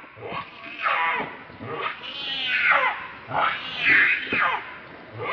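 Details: Monkey, very angry while protecting another monkey from a third, giving harsh, loud, rasping screams that rise and fall in a series of bursts.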